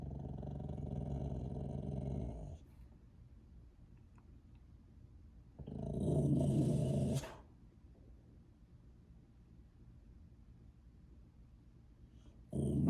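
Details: Boxer dog giving a growling howl: two long, rough, low droning vocalizations, the first about two and a half seconds and the second shorter, separated by silence, with a brief sound at the very end.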